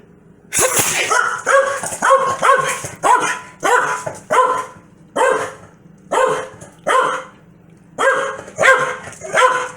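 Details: Corgi named Foxy barking angrily in reaction to its owner's sneeze; a run of about fourteen sharp, harmonic barks spaced roughly every half second to a second, with brief pauses between bursts, indoors.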